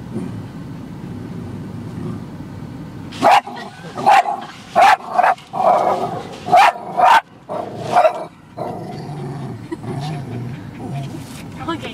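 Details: At a car wash, Chloe the dog lets out a burst of about eight loud, clipped barks spaced under a second apart, set against a low mechanical rumble before and after.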